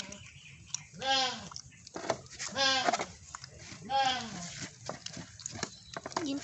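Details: A goat being readied as the meal in place of fish gives three loud, quavering bleats spaced about one and a half seconds apart, with people talking in between.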